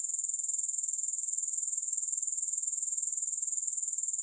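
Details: Grasshoppers in a continuous high, hissing insect chorus, pulsing steadily about four times a second without a break, with no music or other sounds.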